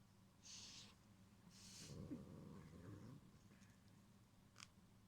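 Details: Indoor cat Gyopi issues a short, low throaty growl of about a second as a threat, protecting its string toy Cotton-sensei from Ebiten-kun, with soft rustles and a small click around it.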